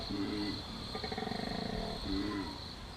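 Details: Koala bellow recorded at night in the Australian bush, played back: a droning snore-like phrase, then a rapid pulsing rattle of inhaled grunts, then another droning phrase, over a steady high insect hum.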